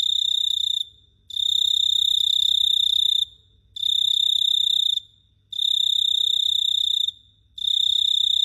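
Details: Cricket at night in Phteah Prey producing sharp, high buzzing trills of one to two seconds, separated by short gaps, bright and insistent throughout, with a soft low-frequency hum in the background.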